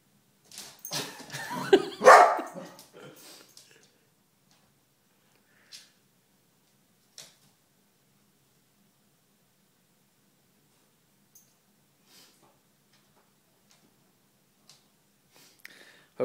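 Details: Calvin, a four-month-old Golden Retriever puppy, defends his house against a stuffed bear in the living room: a burst of loud, rapid barks and yips over about three seconds, then a few faint clicks and near silence.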